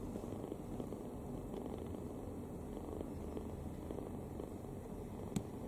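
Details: Deeply relaxed kitten sleeping open-mouthed and snoring; a soft continuous low rumble with faint rhythmic pulsing and one small click near the end.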